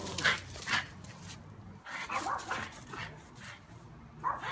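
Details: Shadow, a dog on a mission to rid the yard of bees, barking in quick bursts, several short sharp barks in under five seconds with brief pauses.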